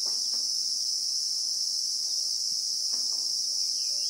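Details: Shrill continuous drone of Christmas beetles (Anoplognathus) in the South African bush, never pausing or changing pitch, while faint clicks, taps and a soft distant chirp sit low underneath.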